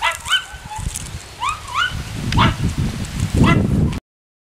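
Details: Ten-week-old Miniature Schnauzer puppies from a litter playing with a frisbee. Several short, high yips arch up and down in quick bursts, with low rustling and thumps beneath and a person talking to them nearby.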